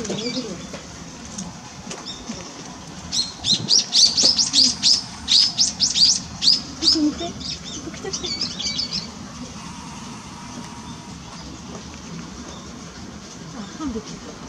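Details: Asian small-clawed otter giving a rapid run of high, sharp, squeaky chirps, about a dozen packed into six seconds, before fading back to a low murmur of background voices and room noise.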